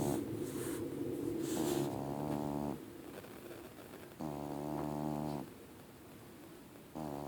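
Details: Huge fluffy male domestic cat snoring while asleep, a habit it has all the time; drawn-out, rasping snores with a harmonic, buzzing tone come in long breaths of over a second, separated by quieter gaps.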